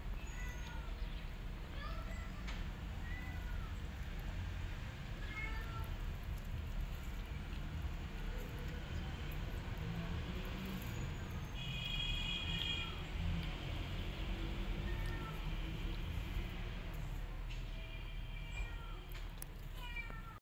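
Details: Rescue kitten climbing the walls and escaping, giving several short, high, arching meows scattered through the recording over a steady low rumbling hum.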